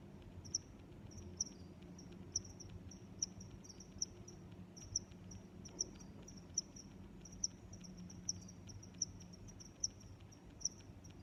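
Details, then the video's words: Cricket chirping: sharp high-pitched chirps repeated steadily a little under once a second, over a low background rumble. "Sounds of Crickets"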